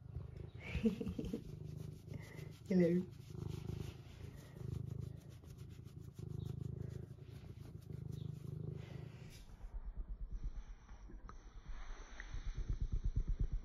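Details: Eric, a pet cat, purring: a low, steady rumbling drone throughout, with brief higher sounds near the start and a more distinctly pulsing rumble in the last few seconds.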